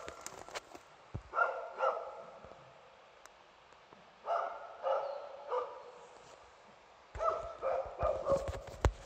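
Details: Two dogs working a heifer, holding it at bay in Broby; harsh barks come in three tight clusters of several rapid, rough yelps, separated by quiet pauses with faint clatter in the background.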